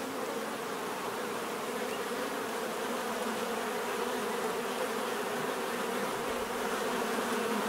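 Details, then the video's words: Bees hum in a thick, unbroken drone throughout. The buzz swells a little toward the end, with a low fundamental tone and bright overtones above it. "bees therapy relaxing natural buzzing sound"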